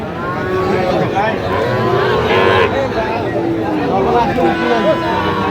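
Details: Sahiwal-breed cattle among bulls traded in Kushtia, Bangladesh, on 5 August 2025: a drawn-out, deep lowing moo rises and falls midway through, over a steady background of mixed voices and crowd murmur.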